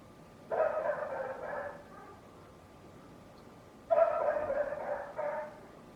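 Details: A neighbour's dog barks loudly in two short bursts about three seconds apart. Each burst has a couple of quick, harsh barks, with quiet between them.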